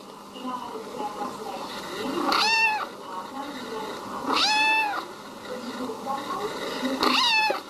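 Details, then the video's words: Domestic cat uttering three short, high, arching meows about two seconds apart while people talk in the background. "Funny cat sound"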